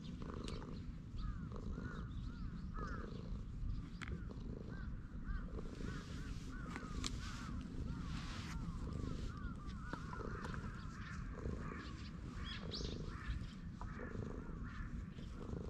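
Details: Stray cat relaxing on a bench purrs contentedly under a stroking hand, recorded with a GoPro HERO8: a continuous deep rumble throbbing rhythmically beneath outdoor noise, with birdlike chatter and brief clicks higher up.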